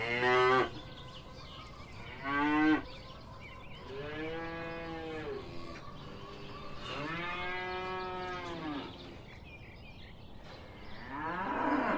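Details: Cow mooing on a farm, several long low lowing calls with arched harmonic bands, each lasting one to two seconds, separated by short pauses; brief sharper calls at the start.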